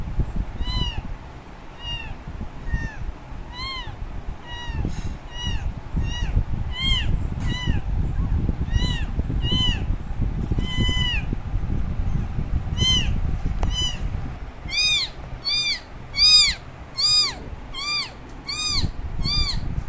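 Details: Kitten left by its mother meows insistently, starting with softer evenly spaced cries that grow louder and faster toward the end, each a high bent note, with low background rumble throughout.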